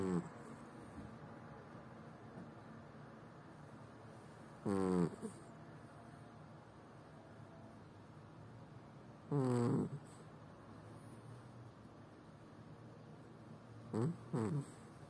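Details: Tubby, a chubby pet cat, snoring while asleep: three short voiced, wheezy snores with a bent, whining pitch, roughly every four to five seconds, with quiet room hiss between them.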